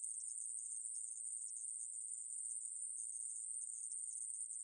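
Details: A steady sizzling drone from the aemaeburi grasshopper, recorded for the National Institute of Biological Resources in 2020. The thin, high buzz continues throughout with no other noises.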